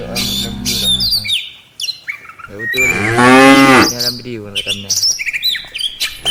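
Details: Afternoon return of a tame cattle herd to the farm pen in a village: one loud harmonic moo in the middle, following a low grumble at the start, with busy birdsong around it.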